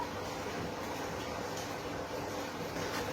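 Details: Only constant broadband rushing noise, like a running vehicle or air conditioner, is heard, with no animal calls.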